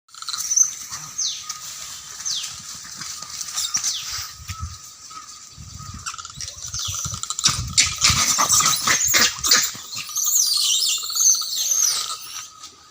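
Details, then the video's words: Monkeys fighting, giving high shrill screeches and squeals in bursts, growing denser and louder toward the end, over a steady high insect-like drone and scattered rustling thumps. "Monkeys fight natural sounds"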